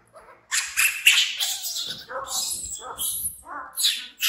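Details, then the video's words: Frightened baby monkey, an orphaned infant taken in by villagers, screams in shrill, high, harsh bursts, then runs to hug a companion; lower whimpering cries follow between the screams. "Baby Monkey BEAN Frighten Screaming"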